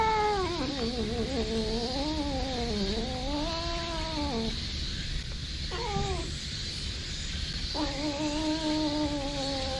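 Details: A brown tabby community cat in a park, being patted on the lower back, gives long, wavering, sing-song meows like humming a tune in pleasure, growing more heated, in three drawn-out phrases over steady soft rustling, September 2021.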